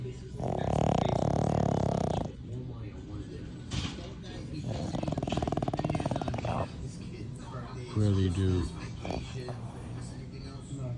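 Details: French bulldog asleep and snoring like a fat grandpa: a long, grinding snore of nearly two seconds opens, then softer rough breaths follow, and a short loud snort comes near the end.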